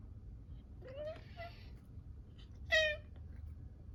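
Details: Maine Coon cat pleading in a sweet voice to see outside, where small birds came to visit the opened window on a cold day; two clear drawn-out meows, the second louder and higher, in a quiet room.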